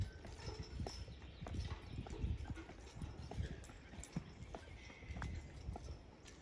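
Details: Percheron horse being driven, hooves striking the ground in a quick uneven clip-clop of low thuds, fairly quiet, with faint background hiss.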